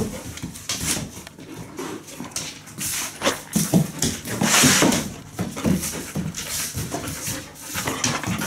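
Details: Labradoodle indoors while eating its food: rapid, breathy, broadband bursts repeat quickly and unevenly. Background music and a woman's voice are heard alongside.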